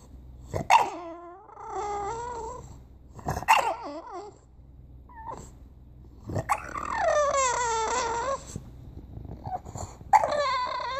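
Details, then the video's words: Bulldog 'talking' indoors: drawn-out, wavering whines and moaning yowls that rise and bend in pitch, several separate utterances of one to two seconds each with short sharp onsets between. "Talking bulldog"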